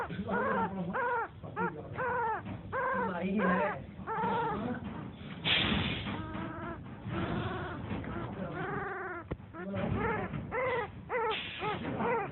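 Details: Newborn puppy whimpering and squealing over and over in a steady stream of short, arching, high-pitched cries with a few brief gaps, and faint low background noise.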